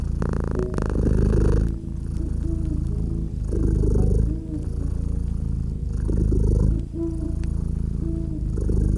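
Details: Cozy cat beside a winter fireplace giving a deep, even purr, its rumble rising and falling in breath-like waves every two to three seconds, accompanied by light popping crackles from the fire and a soft tonal hum.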